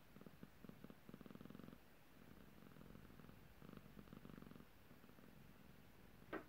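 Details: A cat that seems a little grumpy makes soft, rhythmic rumbling pulses in two short runs, quiet between them, ending with a sharp click.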